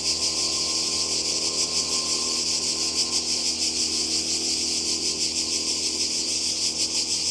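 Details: Many cicadas singing together beside the sea in Croatia during summer 2020, a constant piercing rasp pulsing rapidly and evenly, with a faint low hum underneath.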